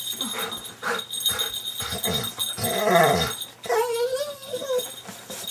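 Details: Golden Retriever and Terrier mix greeting their owners at home after more than a week away, recorded in 2005; moaning, whining vocalizations and a long wavering howl-like whine, with speech and household noise in the room.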